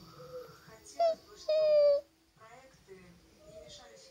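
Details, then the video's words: Alaskan Malamute described as singing, crying, complaining and talking indoors: a brief high whine, then a sustained, slightly falling half-second howl rich in harmonics, followed by quiet room sounds. "Поющий маламут. Malamute sing a songs."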